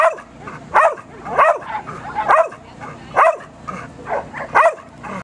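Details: Border Collie excited while watching lure coursing before its own run: sharp yipping barks about once a second, each with a rising whine-like edge, loud and close.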